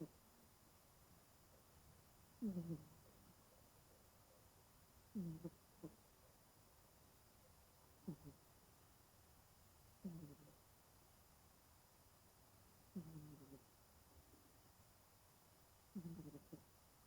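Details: Twenty-year-old domestic cat named Genki, curled up and deeply asleep indoors on a cool day, snoring softly: short, low rasping breaths, about six in a row, each two to three seconds apart, over a quiet room.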